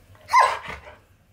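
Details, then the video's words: Husky K'eyush, indoors in a small room and protesting a new leg brace, gives one short whining vocal with a bright tone that slides downward and fades within half a second, followed by quiet breathing. "Husky Tries To Avoid Talking About NEW Leg Brace!"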